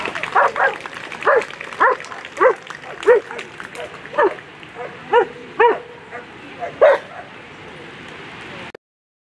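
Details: German Shepherd Elyssee v alten Gatter competing in World Championship agility with handler Mario Weidner, 7th in the final; a lively run of about a dozen short barks at uneven intervals over steady background hubbub.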